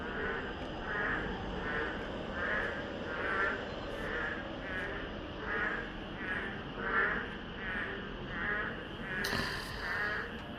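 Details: A chorus of boreal digging frogs by an apartment playground in Buyeo County, South Chungcheong, Korea, where they call every year at this season, gives loud, repeated nasal calls overlapping in a steady pulsing din.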